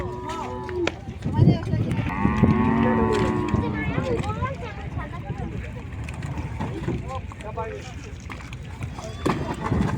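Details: Cattle arriving at a riverside landing: a long wavering moo with rising tonal bands near the start, then people talking and water and engine-like background noise throughout.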